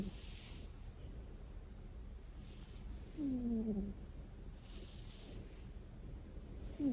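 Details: Sleeping house cat giving one thin, whiny snore that slides downward, with a faint second squeak at the end; the rest is quiet room hiss.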